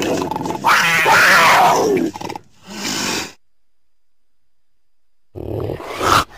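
A cougar gives loud, harsh, wavering cries, one long and others shorter, separated by a quiet pause.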